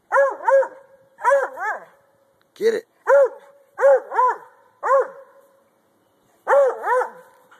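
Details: Treeing Walker Coonhound treeing at a log, a favourite pastime; repeated ringing barks, mostly in pairs, with one sharp, clipped bark in the middle and brief spoken words from a person nearby.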